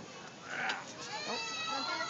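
A red panda calls with a nasal, bleating squeal that wavers slightly in pitch over about two seconds. The tone is strained and full of overtones, rising briefly near the start before settling.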